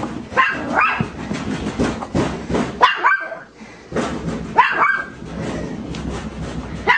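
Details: Chihuahua kept indoors as a pet, reactive to a broken washing machine, barking from anxiety, arousal, fear, nervousness or irritation; sharp yappy barks come in irregular bursts against steady household noise.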